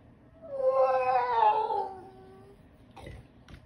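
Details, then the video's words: Dog indoors wanting up onto the bunk gives one long, nasal, harmonic whine lasting about two seconds, wavering then sliding downward and fading, followed by a couple of faint soft thumps in a quiet room. "My dog wants on the bunk"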